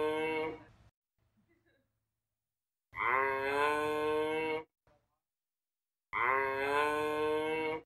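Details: Giraffe uttering long, cow-like lowing calls, each lasting around two seconds, rich in harmonics with a slight upward swell at the start, repeated after pauses of over a second.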